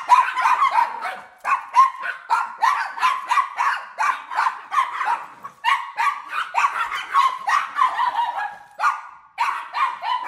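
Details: Small toy-breed dogs, papillons, a Yorkie and Maltese, barking: rapid high-pitched yaps in quick bursts, several overlapping, continuing almost without pause throughout.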